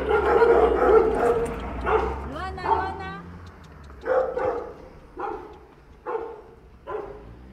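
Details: Rottweilers of the Villa Maria district canine brigade, a female and a male, shut inside a kennel and described as thin and neglected, recorded 5 December; people talking at first, then four short harsh barks spaced about a second apart.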